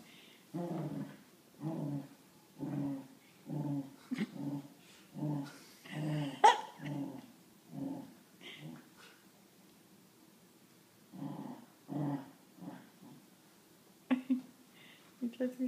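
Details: Dillon, a Wheaten Terrier, indoors with his favourite toy monkey, gives low throaty growls in a steady series of bursts about once a second, then falls quiet before a few more growls and short whines near the end.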